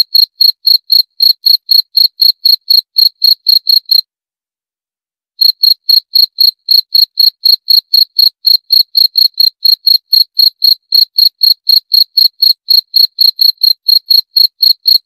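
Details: Cricket chirping in quick, even pulses about four times a second, breaking off for roughly a second and a half near the four-second mark before resuming the same steady rhythm; no other sounds.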